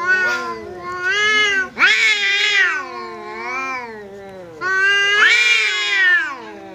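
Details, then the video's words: House cat confronting a visiting cat during a fight, growling yowls that rise into loud, strained wails, then sag into lower moaning, with a second surge of wailing later, continuous and wavering. "Kucing Berantem!! Kedatangan Tamu, KucingKu Langsung Pasang Badan dan Adu Mulut"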